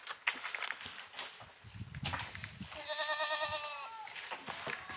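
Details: Farm goat in India giving one steady, nasal bleat lasting over a second near the end, over a noisy background of low rumbling, footsteps and faint talk.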